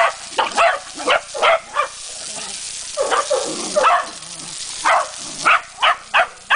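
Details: Corgi fighting a water hose, giving short, sharp barks in quick bursts, about two per second, with brief pauses between runs, over a steady hiss of spraying water.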